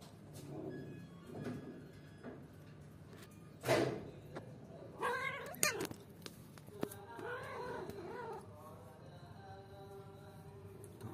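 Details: Play-fight between two pet cats: Simsim, a one-year-old, grows angry at Basant, a three-month-old kitten who often starts the tussles. Soft thumps and a sharp burst, then drawn-out, wavering harmonic yowls and whines over a quiet room.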